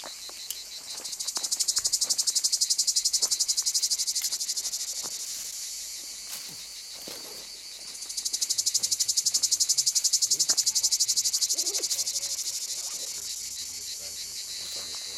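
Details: Cicadas in Puglia, Italy, in 2011: a loud, shrill, rapidly pulsing buzz that swells, fades briefly around the middle, then swells again, with scattered clicks and rustles.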